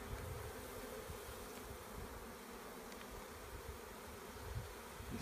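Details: A collected swarm of honey bees producing an unbroken, low, droning buzz, steady in level, with occasional soft bumps of handling.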